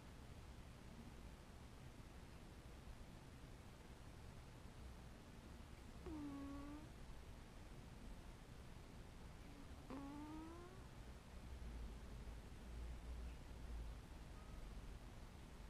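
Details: Sleeping domestic cat making sleepy noises: two soft, brief tonal chirps with a rising then falling bend, about four seconds apart, over a steady low background hum and long quiet stretches.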